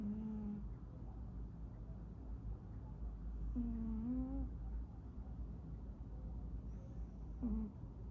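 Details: Pet cat snoring while asleep: three short, wavering, whistly nasal tones spaced a few seconds apart, each under a second long, over a steady low rumble of background noise.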